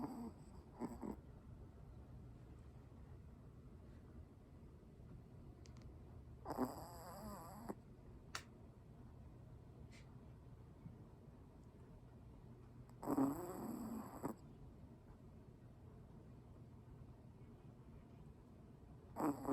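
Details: Ponkichi, a Pomeranian with tracheal collapse, snores in his sleep indoors: two short, breathy, rasping snores roughly six seconds apart, separated by quiet, steady breathing-level background noise.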